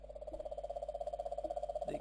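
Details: Cane toad calling in the background in Queensland and Northern Territory, Australia; a steady, low, machine-like trill of rapid pulses, around sixteen per second, running continuously with a faint thump.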